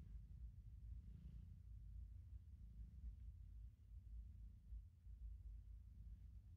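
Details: Stella, a calico cat, lies on a warm chair indoors and gives a soft, low, steady purr; the recording is quiet and close, with no other clear sounds.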